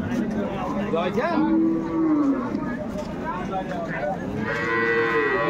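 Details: Cattle for sale at Ambari market on 21 May 2024, among dairy cows and calves bought by Dhaka farmers: two short, drawn moos rise out of dense crowd talk and bargaining voices.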